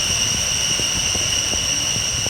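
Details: Cicadas in a jungle valley of Sa Nang Manora Forest Park, Phang-Nga, Thailand, so loud they exceed 100 decibels and drown out everything; only males sing. A relentless, even, high-pitched metallic drone with no breaks, over faint low knocks.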